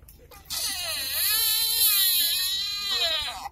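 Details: Wild sika deer coming out of the woods at Nara Park, Japan, in September 2017; a long, strained, wailing cry that dips, rises and swells for about three seconds, harsh and rich in overtones, with faint voices before it.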